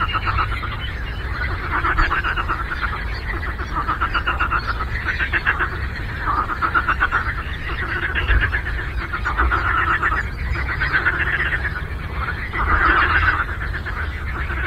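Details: Many frogs calling together on a lake, fast rattling pulses blending into a ceaseless chorus that surges louder in irregular waves, with low rumbling underneath.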